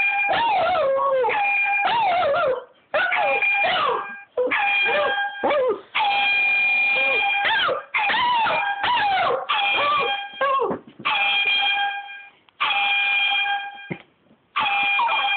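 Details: Pet dog howling along to blasts from an air horn app: wavering, sliding howls rise and fall between the steady, flat horn tones, in bursts separated by short pauses, with a person's brief encouraging words near the end.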